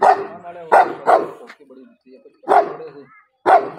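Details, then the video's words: Dogs during a fight, giving loud harsh barks in short bursts, two quick ones near the start, another pair after a brief pause, then single barks spaced about a second apart, with low murmuring between them. "ghabar badmash vs Bravo Dogs Fight"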